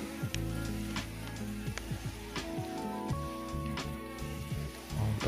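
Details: Instrumental music with a low plucked melody over steady rain-like patter and crackle, with no animal voice audible.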